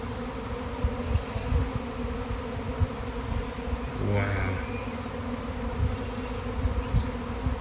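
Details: Thousands of honeybees in a swarm that popped out of nowhere: continuous low buzzing hum, a brief human voice near the middle, and occasional faint bird chirps.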